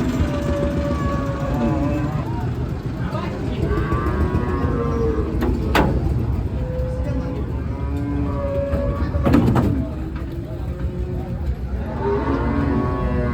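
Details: At the Aronkola livestock market, held every Tuesday, cattle of various breeds are unloaded. Several moos with wavering, bending tones come from more than one animal, mixed with human talk, engine noise and two sharp metallic bangs.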